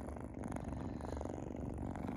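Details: Sphynx kittens purring while nursing on their mother indoors, a steady low rumbling purr with fine rapid pulses throughout.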